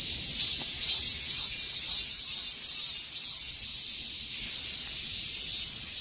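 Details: Summer-heat cicada chorus, a shrill buzzing that throbs in regular pulses roughly twice per second above a constant high sizzle, nothing else clearly audible.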